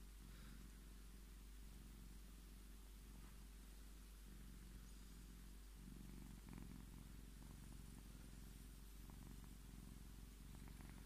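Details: Purring Scottish Fold cat demanding strokes; continuous deep vibrating purr rising and falling with each breath in a regular cycle, little else audible.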